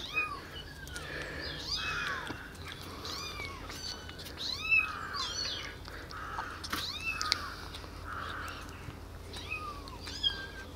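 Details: Tiny rescued kittens, abandoned on the street and taken in eight days earlier, now kept in a warm basement, walking about and drinking milk from a syringe; many thin, high mews with arched rising-falling pitch overlap rapidly over faint background hum.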